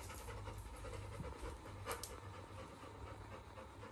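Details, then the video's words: Rapid, steady panting from Labrador retriever puppy Little John, just woken and alert when filming begins, about two breaths a second of soft huffing air, with a droning low hum beneath and a voice speaking right afterward. "Labrador puppy wakes up in alert when i turn on camera"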